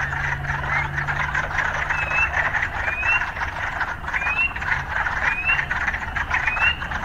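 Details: Urban frogs calling in a dense, continuous chorus, with short rising whistled notes repeating about once a second above the pulsing background. A low steady hum sits underneath during the first seconds.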